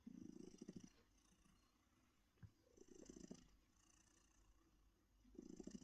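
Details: An older female house cat, formerly a stray found in a bush, purrs contentedly in her comfy chair; deep rumbling swells in slow breathing cycles, with quiet gaps between the inhale and exhale phases and a faint soft click midway.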